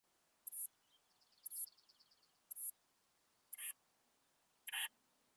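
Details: Western saddle bush-cricket at Bollenberg, France, on 9 October 2022, giving five short, very high scratchy buzzes spaced about one second apart against a silent background, with faint twittering between the first two.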